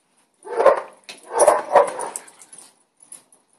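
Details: Barking heard at a home with a Boston Terrier while neighbours' dogs are reported barking: three loud, harsh barks, the last two close together, fading into a softer trailing whine.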